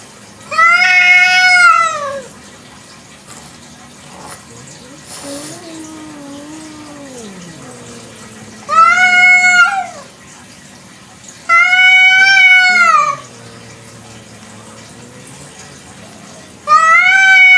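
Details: Kucing kampung, a village cat heard at night, gives four loud, short meows spaced several seconds apart. Softer, lower wavering sounds fill the gaps between calls.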